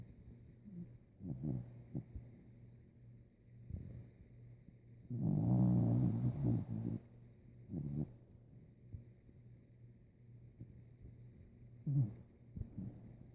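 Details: Old dog Rico fast asleep, snoring like a saw: scattered soft grunting breaths, then one long, loud, buzzing snore lasting about two seconds, followed by quieter snorts at intervals.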